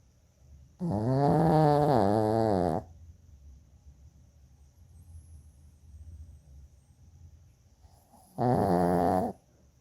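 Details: Pet Shih Tzu named Choco snoring loudly indoors: two long, harsh, buzzy snores about two seconds each with a wavering rasp, separated by quiet breathing, the second starting near the end.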